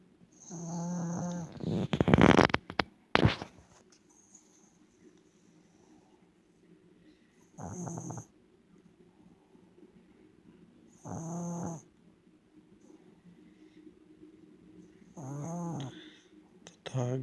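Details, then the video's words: Sleeping pet dog snoring away. Rough, buzzy snores of about a second each come at uneven gaps of three to four seconds, broken early by a few sharp broadband bursts, with soft breathing between snores. "Snoring dog"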